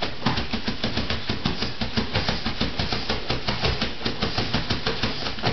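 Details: Indoors, a steady rapid scratching and thumping runs throughout with no animal voice, as a pug digs behind a dog bed for a ball.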